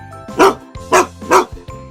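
Three deep, loud barks from a Boxer, evenly spaced about half a second apart, over soft background music.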